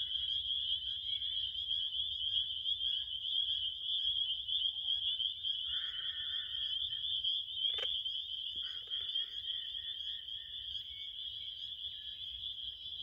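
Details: A dense, even cricket trill sustains a single piercing tone, briefly joined by a lower buzzy call near the middle. A sharp click cuts through at one point and a quiet rumble sits underneath.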